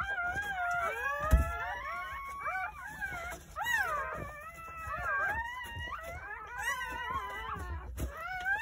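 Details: Newborn Jindo puppies whimpering on New Year's Day at a rural house, from a litter of nine born over the morning; long, wavering, moaning whines slide up and down and overlap, with soft knocks and rustling in the background.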